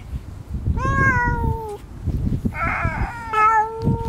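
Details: Female silver-and-white tabby cat, petted on a lap, threatens a disliked orange tabby rival that has appeared. Two drawn-out, tonal wails: the first slides down, the second is raspier and steadier. A low rumbling background runs throughout.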